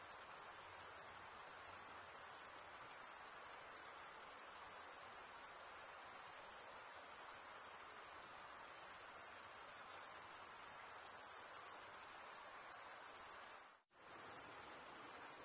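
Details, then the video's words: Crickets keep up a continuous high-pitched chirring trill, interrupted once near the end by a brief silent gap before the same even sound resumes. "Most relaxing cricket sound"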